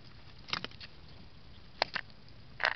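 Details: A hedgehog eats at a garden feeding station in Cottbus, Germany, on 14–15 July 2023, heard as short bursts of crunching and clicking in uneven clusters.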